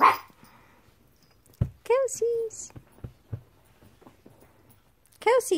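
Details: A Pekingese rescue dog plays like a puppy, giving short, high, yappy barks with people talking nearby.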